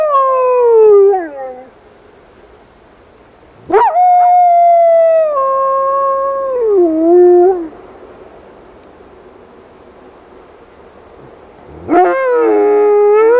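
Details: Rosco P Coltrane, a black wolf dog in a snowy urban blizzard, gives falling howls: one fading, one held then stepping down, and a final howl beginning after a long pause.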